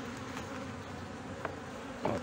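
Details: Buzzing of honey bees in Brno, 2022, at a colony with a chewed-open inserted queen cell. A continuous low drone runs throughout, with occasional brief taps and a clatter near the end.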